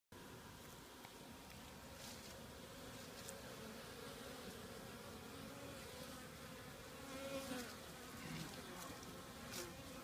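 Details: Honey bees at an active hive on a warmer January 2015 winter day, excited and flying. A dense, steady droning hum with layered low tones, swelling slightly in places, and a few sharper passing buzzes of individual bees near the hive.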